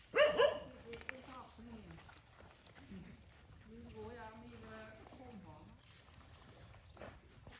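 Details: Stray dog mother on a farm in Cambodia, threatening to bite a boy feeding her puppy: a quick double bark, harsh and loud, then low human speech continuing.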